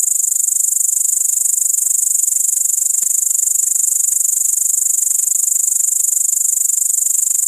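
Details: Continuous piercing high chirring from a great green bush-cricket, Tettigonia viridissima, recorded with an iPod touch 5; the rapid pulsed stridulation runs without any break.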